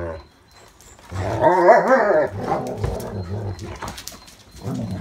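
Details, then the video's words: German Shepherd pack playing in the rain: one dog gives a loud, wavering, whining cry lasting about a second, then softer broken vocal sounds and scuffling, with rain noise underneath. "German shepherd pack rainy playtime"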